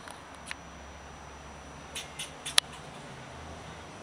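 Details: Eastern fox squirrel (Sciurus niger) gives sharp, scratchy barks at uneven intervals while swishing its tail at a person, defending its avocado tree as territory.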